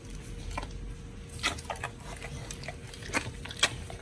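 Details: Pit bull dog eating raw food, a giant white snapper in a raw-feeding meal, in an indoor room: wet crunching bites and chews at irregular intervals, sharp crackling peaks near the middle and end, steady faint hum underneath.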